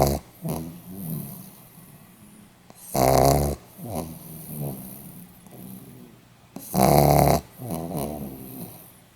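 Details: Sleeping Pomeranian, 8 November 2015, giving two strong, harsh snores about four seconds apart, with faint breathy rattles and soft snuffles in between.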